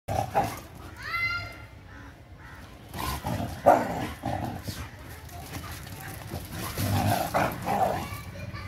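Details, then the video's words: Mudhol Hound and Kombai, two energetic pet sighthounds, wrestling in friendly play; a high rising whine with stacked overtones early on, then scattered low growls and scuffling thumps, with brief voices in the background. "mudhol hound kombai friendly wrestling"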